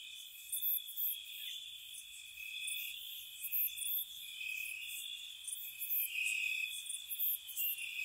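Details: Crickets on a spring night around a cottage: a steady, high-pitched trilling drone with two wavering tones underneath, topped by sharp, very high pulsed bursts that come in quick clusters roughly every second.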